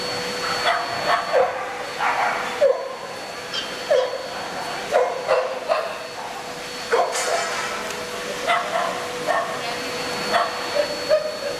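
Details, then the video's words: Junior bitch class of Welsh Springer Spaniels, Fable, Holly and Arwen, shown in Murcia on 12 November 2016; clipped barks repeat irregularly, sometimes doubled, through about twelve seconds of crowd murmur and a steady hum. "Welsh Springer Spaniels in Junior bitch class Murcia 12th November 2016"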